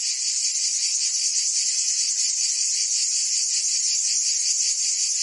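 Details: In Provence, France, summer cicadas sing as a massed, constant high-pitched drone with subtle quick throbbing and steady volume, nothing else audible.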